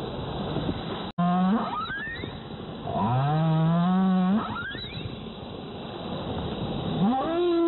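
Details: Humpback whale (Megaptera novaeangliae) off Zamami Island, Kerama Islands, Okinawa, in the January–April whale season, giving low, drawn-out moans that swoop upward, each a rich harmonic tone.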